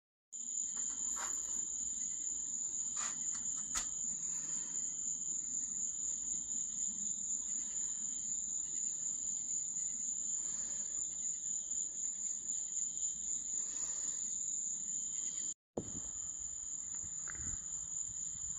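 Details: Night insect chorus in Florida, a continuous high steady trill with a fainter second band below, unbroken for about fifteen seconds before a sharp bang, then the trill resumes.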